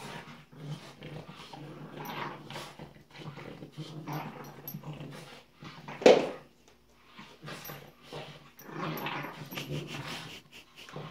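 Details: Two French Bulldog puppies at play indoors make soft throaty growls and snuffles in loose bursts, one sharp yelp standing out midway, then more low grumbling play noises.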